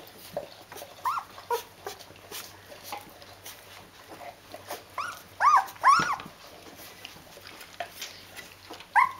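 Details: Fourteen-day-old Rhodesian Ridgeback puppies from a litter, indoors with their mother, giving scattered high squeaky whimpers that arch up and down, several in a cluster midway and one at the end, with soft rustling between.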